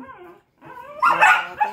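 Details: During play with another dog, Tucker, a loud-voiced dog, gives a loud, harsh bark after softer whining sounds.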